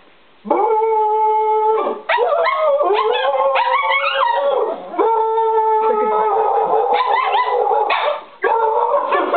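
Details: Four pet dogs, Toby (shih tzu/poodle), Papa Georgeo (Pomeranian), Tootsie (Chihuahua) and Huey (Lhasa apso/pug), pack howling together: overlapping sustained tonal howls, some steady and some wavering or rising, in long phrases broken by brief pauses near two and eight seconds.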